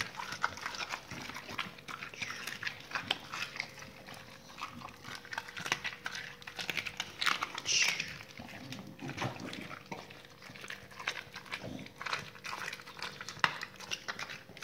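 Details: Dogs feeding on raw salmon with meaty bones and raw chicken carcasses: dense, continuous crunching and slurping chews, rapid wet clicks throughout, occasional louder snaps, faint steady hum behind.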